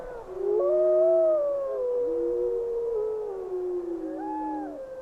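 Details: Several gray wolves howl together in windy weather, long smooth tones sliding up and down and overlapping in a wavering chorus.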